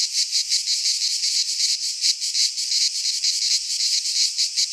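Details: Greek pine-forest cicadas in midsummer produce a loud, sizzling high-pitched hum that swells and dips in fast pulses, nearly three each second, with no other sounds.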